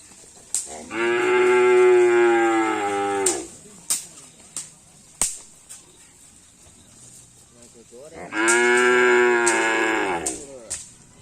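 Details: Two long, level, strongly harmonic moos from cattle at karapan sapi practice on the Asemanis field, Pamekasan, each about two and a half seconds and about seven seconds apart, with scattered clicks and knocks between them.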